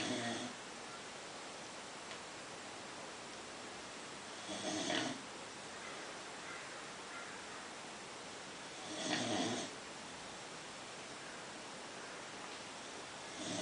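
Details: American Bulldog named Marly, a female asleep indoors, snoring in two broad rasping breaths about four seconds apart, each roughly a second long, over quiet room hiss.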